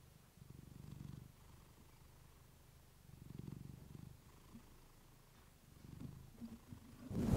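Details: Domestic female cat recorded through a fluffy mic while purring, a soothing sleep recording; soft low rumble rising in three slow waves roughly every two and a half seconds, ending with a sudden louder rustling bump.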